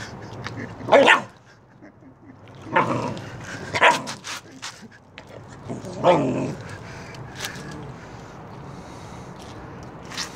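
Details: A puppy defending its bone: short harsh bursts, growling barks and yips, about five over ten seconds, spaced irregularly, with fainter clicks and small noises between them.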